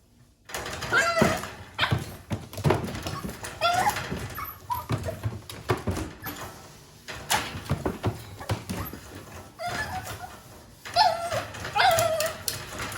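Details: Japanese Chin puppy indoors, a breed said to rarely vocalise, giving several short, high, whining whimpers that bend downward, scattered between frequent thumps, scuffles and handling noises in a small room.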